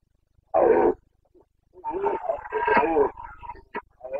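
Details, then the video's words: Carpathian red deer stag in Bucovina during the rut, the boncănit, 29 September 2022: a short harsh roar, a pause, then a longer rough, harmonic bellow with uneven pulses, ending in a brief sharp burst. "Boncănit / Carpathian stag Breeding season 29.09.2022"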